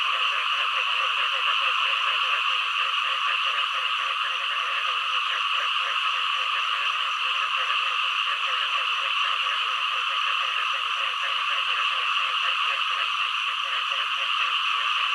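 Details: A frog chorus with a continuous shrill background band and, underneath, quick rhythmic croaking pulses that run steadily throughout, strengthening in the middle and toward the end.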